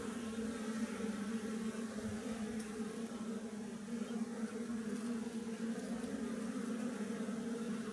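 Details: Steady, even droning of a wild western honey bee colony housed in a hollow tree. The low buzz holds throughout with layered overtones and no pauses.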